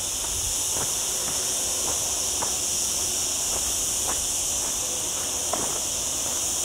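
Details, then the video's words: Unbroken high-pitched cicada drone, hissing and even, from olive trees on a mountainside in lower Sierra Llana near a town, recorded on a cloudy day during a very hot week, with soft scattered steps. "Olive Trees and Cicada Sounds"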